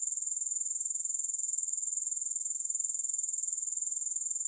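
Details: Soothing grasshopper chorus without music, a shrill, even trill made of rapid regular pulses, about three per second, holding steady in loudness throughout with nothing else heard.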